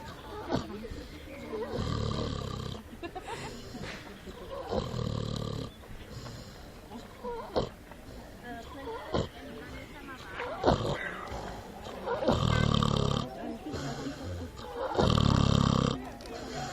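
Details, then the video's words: Runaway pig asleep in the woods, snoring with long, harsh, low rasping breaths at irregular intervals of about three to seven seconds, with softer breathing and rustling noises in between. "Runaway pig found snoring in the woods"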